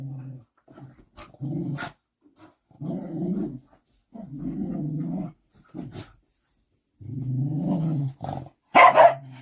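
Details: Large young dog growling in the presence of its mother, to whom it defers; deep rumbling growls in repeated one-second bursts, ending with a sudden higher, sharper yelp-like cry.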